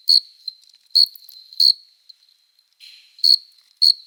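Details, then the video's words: Courting male cricket stridulating with its forewings on a summer night: crisp high chirps at irregular intervals, a brief soft lower rasp near the middle, then two more chirps. "Som de GRILO cantando | CRI CRI CRI (Cricket Singing)"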